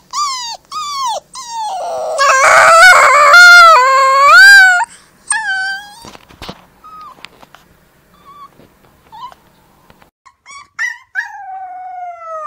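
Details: Wolf pups howling loudly together in overlapping high, wavering tones for about five seconds, followed by scattered short squeaky yelps and a final falling howl.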